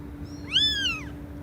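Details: A single loud cat meow lasting about half a second, rising in pitch then drooping, rich in harmonics, with a faint steady hum underneath.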